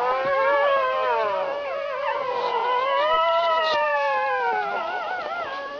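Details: Several puppies howling together in overlapping, wavering high voices, pitches sliding up and down and weaving past one another without pause for about six seconds.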